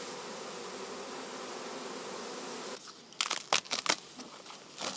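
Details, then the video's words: Honey bee swarm being merged with another colony, one queen to be lost: steady humming buzz for nearly three seconds, then sharp crinkling and rustling handling noises. "Rójki - pszczoły"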